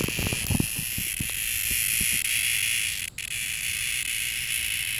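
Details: One cicada keeps up a harsh, high buzz at close range, with low thumps and handling knocks underneath and a brief break in the sound midway.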